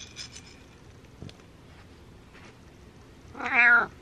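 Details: Domestic pet cat, a male, meowing just before eating: quiet shuffling and a few soft clicks, then one loud, clear, drawn-out meow that rises and falls near the end.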